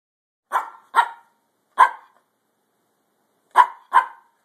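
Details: Brussels Griffon dog family, parents Oscar and Athena with puppy Gus taking first steps: five short sharp yappy barks in two bursts, three then a pause and two more.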